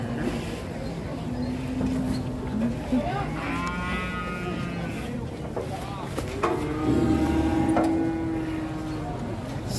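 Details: Cattle rampaging while ploughing, giving low, drawn-out steady moos amid loud outdoor noise, with people talking and laughing in the background.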